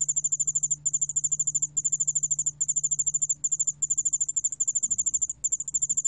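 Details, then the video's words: Yeoul allak ground cricket from a 2020 National Institute of Biological Resources recording: very high, rapid pulsed trilling in short bursts of under a second, broken by brief gaps, a faint lower echo beneath, and a steady low hum throughout. "여울알락방울벌레, 여러번 듣기, 곤충소리"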